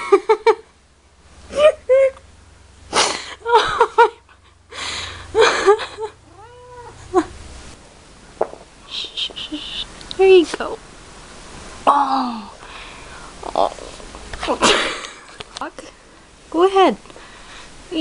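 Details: Cheesecake, a pet cat almost a year and a half old, struggling to move in a loose jacket and growing angry with it, gives several drawn-out, arching meows between bursts of coaxing human speech indoors.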